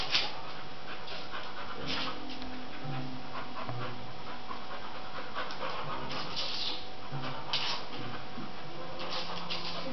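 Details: Tobi, a pet springer spaniel, chasing a CD around the kitchen: quick breathy panting runs through the recording, broken by bursts of scraping and clattering as the disc slides across the floor, with a low hum behind.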